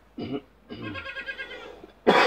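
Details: Dairy goat Marcela, a young doe in her first days of milking, gives one wavering, tremulous bleat lasting about a second. It follows a short rough cough-like sound, and a loud broadband noise burst closes the clip.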